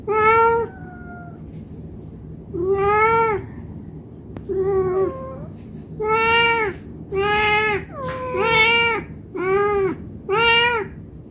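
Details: Hungry domestic cat begging for food, calling in a nonstop series of about nine meows, some short and clipped, one bending downward, spaced roughly a second apart near the end.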